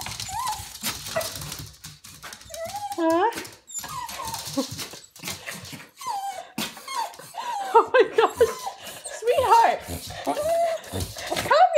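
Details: Cozy, a Coton de Tulear thrilled by dental treats, whines and whimpers indoors in wavering, rising and falling squeals that repeat in quick bursts, while a woman talks softly and urges her to calm down.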